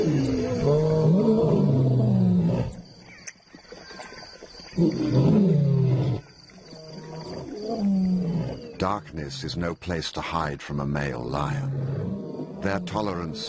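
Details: Wild lion growling in long, low, throaty bursts, two strong rumbling phrases separated by a short quiet gap, followed by a human voice talking over softer background sound.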